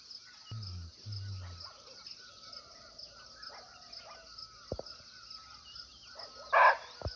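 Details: Single abrupt, rasping bark from a wild muntjac, or barking deer, recorded close by in Nepali forest, arriving near the end after quiet stretches; constant shrill insect chorus, faint bird whistles and two brief low hums early on.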